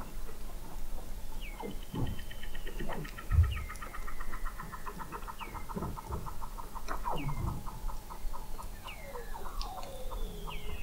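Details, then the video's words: Weddell seals beneath sea ice in McMurdo Sound, Antarctica, November 2017, observatory recording at 21 m depth: rapid trains of pulses repeated in long rows, short upward chirps, and low thumps. "Song of the Antarctic Weddell Seal"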